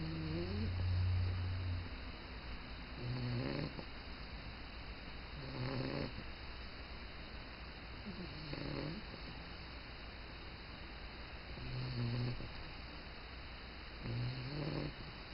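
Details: Bulldog snoring on its first morning in a new home: deep, rumbling snores repeating about every two and a half seconds over a steady background hiss.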